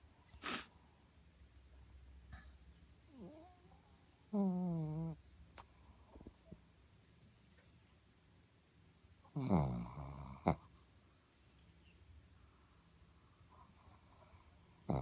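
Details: Moka, a sleeping Shih Tzu, snores oddly: two loud, throaty, harmonic snorts near four and ten seconds, with faint breathing and soft rustles in a quiet indoor room between them.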